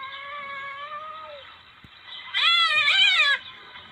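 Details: Palm civet lure recording: a smooth tonal note trails off. About a second later a loud, raspy, wavering yowl lasts roughly one second.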